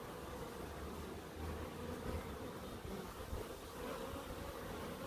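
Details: Garden bees in Crookes humming steadily at mid pitch over a deep, rumbling background like distant traffic, the buzz holding level with slight swells.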